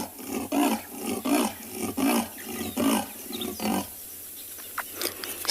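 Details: Female leopard in Tswalu Kalahari Reserve, South Africa, calling repeatedly while alert and listening during a 16 September sunset drive; five deep, rasping grunts spaced under a second apart, then a quieter stretch with faint distant sounds.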